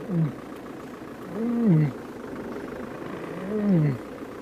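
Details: A lion in the Sabi Sand, South Africa, at sunrise on June 9, 2016, gives three low, moaning calls about two seconds apart, each rising then sliding down, over a steady hiss; a viewer judged it a contact call, not a cub call.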